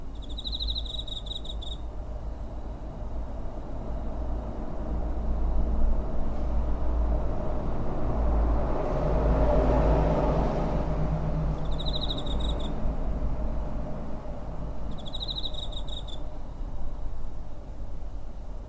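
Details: Cricket recorded near home on 7 September 2023 with a TASCAM DR-05, giving three bright pulsed trills roughly ten and three seconds apart, each about a second long, above a constant low drone of vehicle noise that swells midway.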